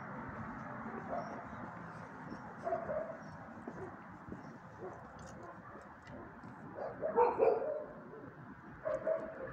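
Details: Dogs barking against a constant hissing background, with scattered single barks and a louder cluster of two or three sharp woofs near seven seconds, then one more bark at the end.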